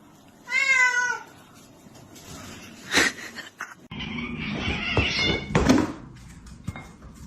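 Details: Domestic cat giving one clear, drawn-out meow with a bright stacked tone, followed by thumps, rustling and indoor household noise.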